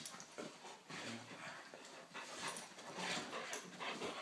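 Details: Two dogs, one little and one big, playing together; low rumbling growl-like sounds near the middle and end, mixed with broad scuffling, snuffling and breathy noises throughout.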